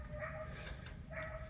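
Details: A dog barking in the distance during a garden walk: two faint, tonal barks about a second apart, each with a steady pitch, over a low background rumble.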